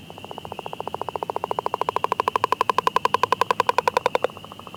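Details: Frog calling in spring in Ottawa County, Michigan: a rapid train of short clicking pulses, about ten per second, swelling louder over four seconds before stopping abruptly, with a faint steady high whine running behind.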